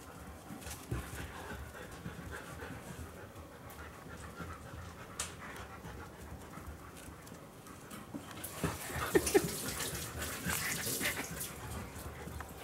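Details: Two Siberian huskies, an adult chocolate-and-white male and a red-and-white female, impatient for their food, their bowl raised to ease swallowing; rapid breathy panting at about three and a half breaths per second, swelling louder and harsher near the end.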